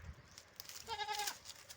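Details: Domestic goats kept on a farm, bleating while being given water in hot weather; a single short, quavering, wavering bleat near the middle, with a woman talking before and after.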